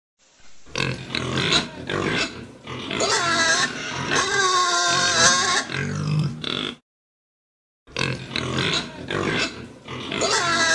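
Pigs squeal and grunt in a loud, harsh chorus, with shrill rising cries over low grunting.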